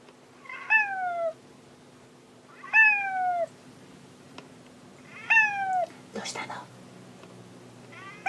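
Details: Searching for fellow cat Monaka, Hanu repeats long falling meows roughly every two and a half seconds, four in all, with a brief rustling thump between them in a quiet room.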